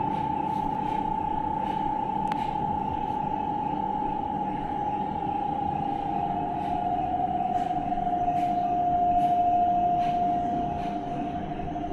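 A steady humming tone over indoor background noise, with no animal calls.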